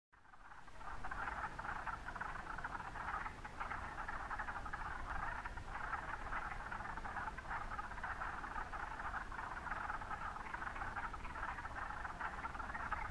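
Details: Chorus of wood frogs at Mont Saint-Bruno: dense, continuous overlapping clucking croaks from many frogs, with low background rumble.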